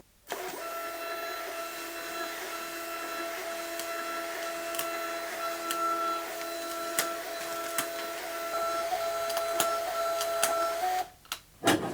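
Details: A steady mechanical hum with sharp clicks and taps, like a printer running indoors, and no animal sound.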